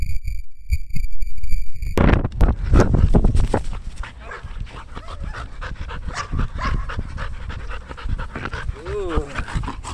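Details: Belgian Malinois named Danny, playing fetch in Cebu, Philippines: after two seconds of steady electronic tones, rapid breathy panting bursts, nearly three per second, uneven and close, with faint voices in the background.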